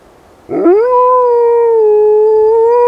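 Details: Rosco P Coltrane, a black wolfdog, howls during an urban blizzard: a sudden onset rising into a long, steady, tonal note held for over two seconds with rich harmonics.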